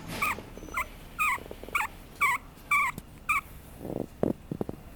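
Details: Papillon puppy giving a series of seven short, high whining yelps, each bending down then up, about two per second, followed by a few low thumps and clicks.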